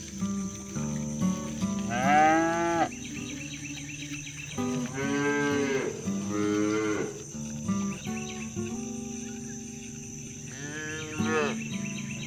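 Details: Herded cows heading home to the barn across rural fields, mooing to summon their friends; four loud, sustained bellows with strong harmonics in two bursts, against a steady low drone and chirping insects.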